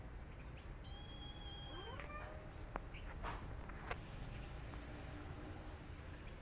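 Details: Domestic cat: a mother cat attacks an orphan kitten after smelling it. A high, sustained, strongly harmonic meow lasts about one and a half seconds, then ends in a wavering, falling tail. Sharp clicks and thuds follow over a steady low hum.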